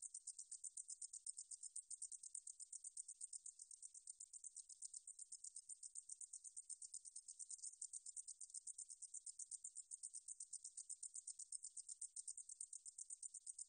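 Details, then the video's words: Recorded in 2020 by the National Institute of Biological Resources, a meadow katydid keeps up a long, shrill, rapidly pulsing buzz at very high pitch, even and unchanging, in an otherwise silent setting. "등줄어리쌕쌔기, 여러번 듣기, 곤충소리"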